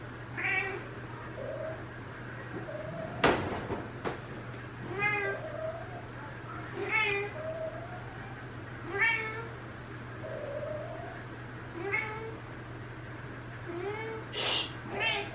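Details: Female Ragdoll cat, one and a half years old, on the third day of her first heat, calling sweetly toward a neutered male in a multi-cat home; drawn-out meows repeat every two seconds or so, with one sharp knock partway through.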